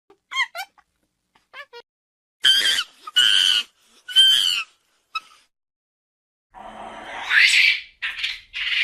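A monkey starts with a few thin chirps, then gives three loud, strained squeals in quick succession. The calls end in a rougher, rasping chatter that rises and falls.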